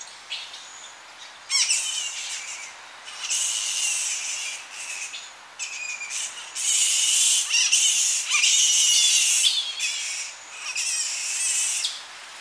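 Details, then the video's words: Evening Tonga flying fox colony where young bats squabble at close range: loud, piercing screeches in bursts of one to two seconds, separated by short pauses and quieter chirps, over a soft wind in the tree. "Tonga Flying Fox / Evening. Colony. CU Shrill Calls From Young Bats Squabbling. Slight Wind In Tree"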